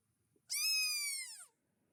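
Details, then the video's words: A red fox at night in a forest, heard near roe deer, gives a single drawn-out, wailing cry that holds steady and then drops away at the end. "ça c'est le cri du renard."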